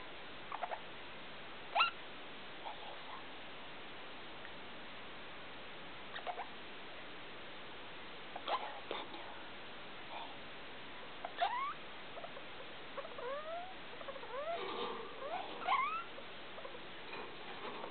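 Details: Nighttime calls from a pet degu named Felica, made at 2 a.m. in a lit room: sparse faint clicks and chirps, then a run of short upward-sweeping whistles in the second half.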